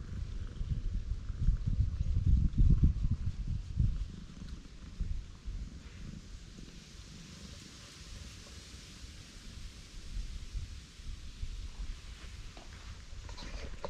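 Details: A black cat on Tashirojima island, Japan, found in the middle of a road, purring loudly while being stroked; a continuous low rumbling purr, strongest in the first four seconds, then steadier and softer, with faint outdoor background.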